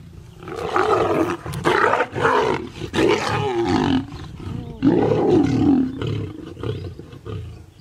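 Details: Big cat roaring in long, rough, throaty bouts that rise and fall, with a brief pause midway before a second drawn-out growl.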